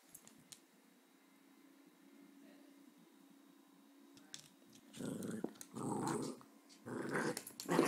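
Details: Fifteen-month-old Jack Russell Terrier Grace, indoors, wanting to play rope while another dog, Hope, shows no interest: quiet room for five seconds, then three rough, throaty growling bursts, each under a second, in quick succession.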